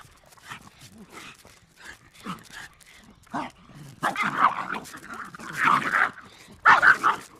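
Pit bull barking in loud, harsh bursts, with other dogs joining in.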